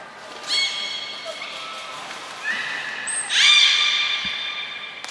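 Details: Belugas in training at Port of Nagoya Public Aquarium, Japan, May 2022 (Nana, Mirai, Niko): rich harmonic calls in overlapping tonal stacks, with a sudden high whistle and a louder burst of bright tones near the end.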